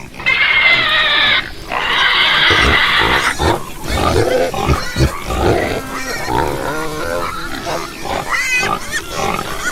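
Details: Pigs: a loud, broad shrill squeal for the first three seconds, then a jumble of short grunts and higher rising-falling squeaks from several animals.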